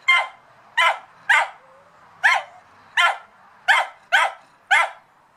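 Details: A dog barks wildly at a cat, with eight sharp, bright barks in a row, spaced unevenly about half a second to a second apart.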